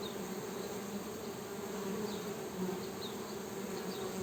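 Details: Western honey bees (Apis mellifera) give a steady, low droning wing buzz with faint high chirps above.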